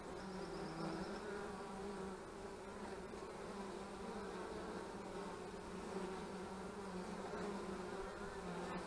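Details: Steady droning hum of many honey bees at the hives in March 2015, even in loudness, with paired tones around 200 and 400 sliding slightly as bees come and go.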